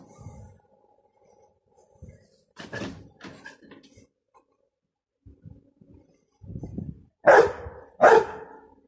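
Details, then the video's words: Almost six-month-old Rottweiler Clyde, startled by a hissing football he punctured; scattered soft noises and movement, then two loud barks less than a second apart near the end. "Our Rotty spooked by hissing ball"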